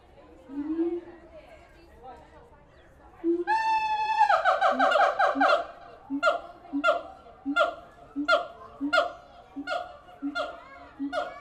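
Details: Zoo-kept siamang apes in Tulsa give low moans, then a burst of fast rising whoops, then a steady series of loud barking hoots repeated roughly every half second.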